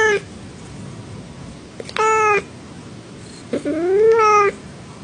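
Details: Domestic cat meowing: three harmonic-rich meows, each about half a second long, the last one rising then falling gently, separated by pauses over a faint steady background hiss indoors.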